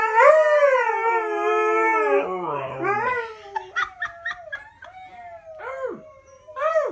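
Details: Coda and Diesel, two dogs, hold a long steady howl that breaks off into a few short clicks and quieter arched yelps, with a low murmur underneath.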